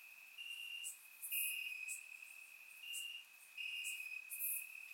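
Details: Crickets chirping in grass on a warm summer night in Bulgaria, recorded with a surround microphone: a steady high trill with louder pulsing stretches, plus brief sharp high chirps from other insects scattered through.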